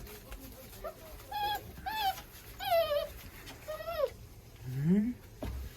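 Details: Young German Shorthaired Pointer puppies, born 15 January 2022, give several drawn-out, high, wavering whines, each bending downward, followed by a lower rising moan, against faint room noise.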